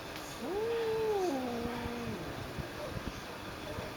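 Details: A territorial female house cat, a former stray, sees an unfamiliar stray cat on the balcony and gives a drawn-out, moaning yowl that rises, holds, then slides lower, warning off the intruder; she also urinated on seeing it.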